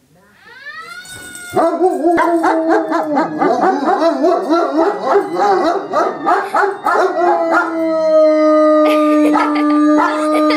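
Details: Two 2-year-old dogs howling at a fire siren: wavering, overlapping howls and yelps over a steady rising and falling siren tone, which carries on alone after the howling fades.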